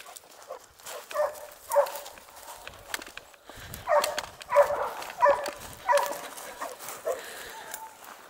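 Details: Dogue de Bordeaux barks at an amateur kennel, Les Dogues de Plaine: a run of gruff barks roughly once a second, some louder and doubled, with a person's voice and rustling in between.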